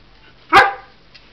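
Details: A nine-month-old Old English Sheepdog barks while following its owner and then running away: one loud, short, sharp bark with a quick burst and fading tail, then quiet.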